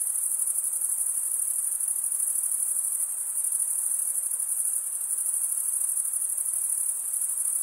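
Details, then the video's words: A chorus of crickets at night in a summer forest, sounding as one even, piercing high trill with a faint rapid pulsing texture. Nothing else is audible. "Pure cricket music for 20 min"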